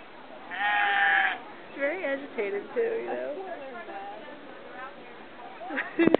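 A sheep gives a loud, wavering bleat, followed by human voices talking.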